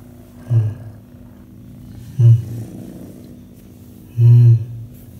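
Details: Rescued orange tabby stray kitten, recovering after surviving calicivirus, recorded July 2020 while being petted and purring loudly; three deep, rumbling low bursts roughly two seconds apart over a quiet background hum.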